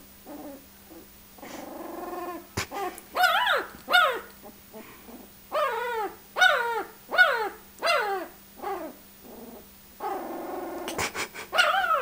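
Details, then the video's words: A 10-day-old Shar Pei puppy named Dodger, placed in a pot by his mother and acting ferocious, gives high whining yelps and squeals with arching, harmonic-rich cries in short bursts, gaps between, a steady low hum underneath. "Ferocious Shar-pei puppy"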